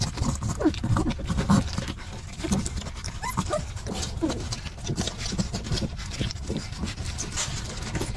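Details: Hungry puppies scrambling and fighting over milk, a chaotic scene; short squeaky whines and yelps scattered throughout over constant low rustling, panting and jostling noise.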